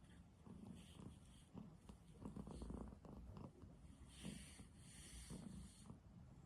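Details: Domestic cat fast asleep on a human bed, snoring. The low, rumbling purr-like breathing swells and fades in a soft rhythm, with faint rustling in the background.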